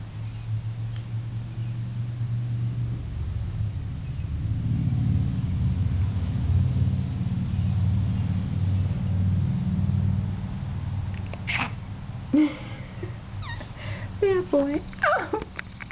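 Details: Fatboy Babushka, a pet cat raised by an opossum for his first year who never learned to meow, quacks while being loved by his owner: a steady low purring rumble, then a quick burst of short, harmonic, duck-like quacks near the end.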